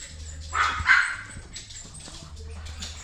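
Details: A male silver tabby American Shorthair kitten, born 22 February 2018, gives two quick, high-pitched mews over a soft background hum.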